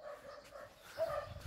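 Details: German Shepherd named Major, full of energy after a walk, playing at a lake: a short, level, high-pitched whine followed by a brief, sharper yip near the end.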